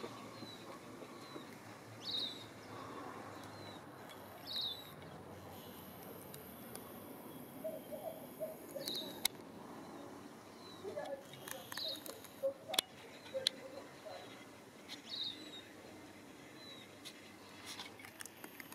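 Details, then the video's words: A single male whistling tree frog (Litoria ewingii), the only one calling at an urban backyard pond in Christchurch, New Zealand, gives short, high, whistled notes repeated every few seconds. "backyard frog pond whistling tree frog"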